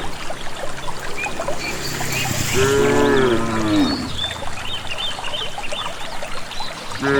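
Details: Rural cattle on their way to pasture let out one wavering, descending moo midway, amid background bird calls and low rumbling noise.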